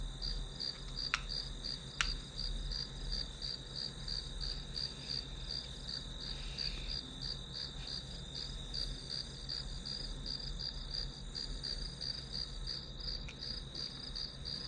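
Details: Rapid, regular high-pitched chirps from grass insects over a constant ringing tone and low hum, with two sharp clicks early on and a brief softer rasp midway.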